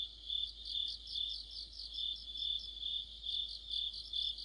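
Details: Crickets singing together in deep autumn by a streetlamp, a piercing continuous trill with evenly spaced louder chirps repeating roughly every half second.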